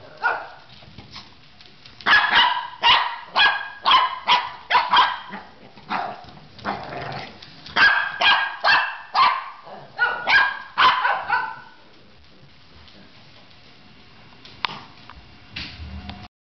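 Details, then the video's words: Indoor Shih Tzu confronting a vacuum hose, rapid volleys of high, harsh barks for about twelve seconds, then near quiet with a faint hum and one brief sound at the end. "Shih Tzu vs. Vacuum Hose"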